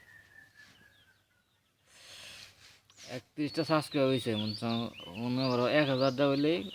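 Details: Baby goats, young kids jumping about, give loud quavering bleats that begin after a quiet stretch and run together in long wavering cries, with faint high bird chirps overhead.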